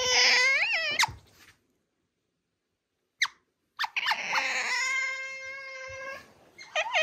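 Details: Pet otter Ui, kept indoors with young male otter Aty, pushing Aty down, mounting him and pressing for a kiss. High, harmonic squealing cries come in two drawn-out bursts with a silent gap and short clicks between them.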